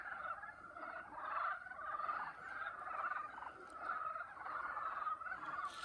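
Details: Boreal digging frogs (Kaloula borealis) on Chungnyeongsan, Jangseong, Korea, chorus with overlapping, rapidly pulsed, gobbling calls in a steady mid-pitched din.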